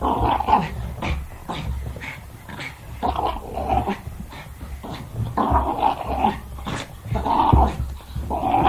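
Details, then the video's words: Jack Russell Terrier growling while playing; rough, gargling growls in repeated bursts about every second, mixed with huffing breaths and snorts. "Sonido de un Jack Russell Jugando"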